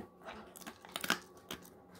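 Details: Golden Retriever named Moko crunching a pig ear given as a snack indoors: a few sharp, crackling bites and tearing sounds, loudest in a burst near the middle, with quiet gaps between them in a small room.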